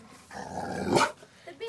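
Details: Three-year-old female ridgeback and boxer cross, told to speak on command, gives a drawn-out low grumbling growl that swells into a short loud bark-like burst, then falls quiet.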